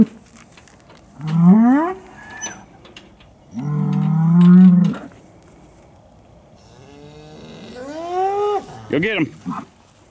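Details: Hereford cattle during the 2017 breeding season turnout at Chandler Herefords; three separate deep, harmonic moos a few seconds apart, the last rising then breaking off with a crack, over quiet outdoor background.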